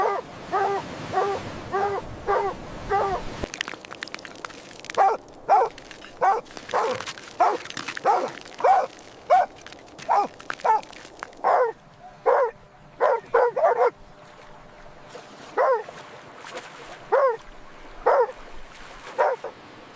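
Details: Puppies playing with baby rabbits outdoors on green grass give high, clear yipping barks in quick bursts, roughly two per second. After a short pause the barks resume steadily and then come more sparsely toward the end.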